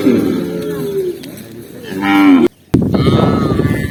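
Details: Tame cows running happily down a green hill in the countryside while being herded, giving drawn-out, low, harmonic moos, one long call followed by a shorter rising one, with a brief silent gap near the end.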